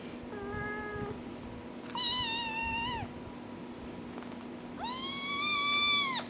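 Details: Four-week-old kittens: a short, lower mew first, then a long, loud, slightly wavering high cry, a pause, and a final drawn-out plaintive mew that swells and falls, over a constant low hum.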